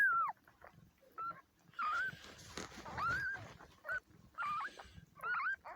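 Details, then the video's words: Four-year-old female cat giving birth indoors; short high mewing cries, each rising then falling, repeated about every second, with rustling and handling noise between them. "ONE OF MY FEMALE CATS GIVING BIRTH....AGAIN"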